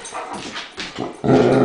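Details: Thor, a Great Dane, gives a deep, full-throated bark after a moment of soft, low grumbling, barking at a remote control helicopter he is upset by.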